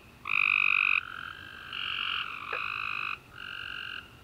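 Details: Night chorus of tree frogs following a warm, rainy summer day; several frogs give sustained buzzy trills, one loud close call then overlapping softer ones, with a short sharp chirp midway.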